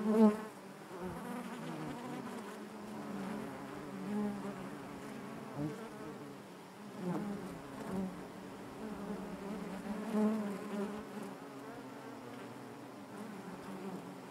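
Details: Honey bees buzzing inside their hive, a steady layered drone with a strong low hum and stacked overtones, swelling and fading gently as individual bees pass close, with occasional soft knocks.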